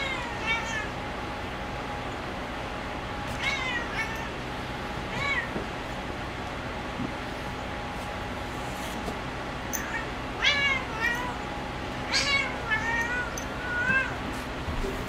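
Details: Spazzo, a female cat, playing on her cat perch, gives short harmonic meows in scattered bursts, some rising then falling, clustered near the start and again in the second half, over a steady low indoor hum.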